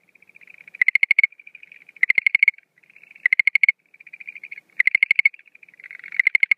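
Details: Male chorus of Schlegel's green tree frog at night early in the 2013 breeding season: soft quick clicking trills lead into louder rattling pulse bursts, repeated roughly every 1.3 seconds with brief pauses.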